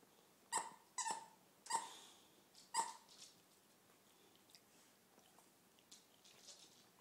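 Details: Dogs romping during pet sitting and dog walking in San Diego: four sharp, ringing barks come in the first three seconds, the last after a longer pause, then only faint scuffles and soft noises in a quiet room.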